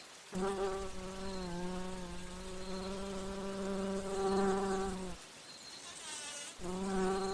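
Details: Bumblebee drinking nectar and flying between flowers: a strong, low droning buzz runs steadily for about five seconds, drops out briefly, then starts again loudly near the end.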